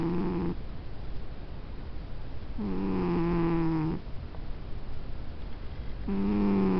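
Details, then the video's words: Domestic cat asleep and snoring: three low, nasal, tonal snores, each a second or more long, with soft breathy gaps between them in a quiet room. "Snoring cat"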